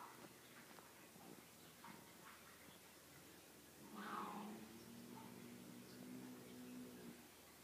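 A Savannah cat lets out a long, strained call that swells in loudness and holds a steady, nasal tone for several seconds. Light scuffling and faint background noises come before it.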